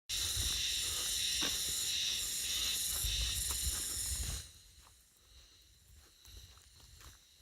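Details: Cicadas on Mount Kongo: a dense, steady, high-pitched buzzing chorus with layered shimmering tones and soft low thuds beneath. It stops abruptly after about four seconds, leaving quiet outdoor ambience.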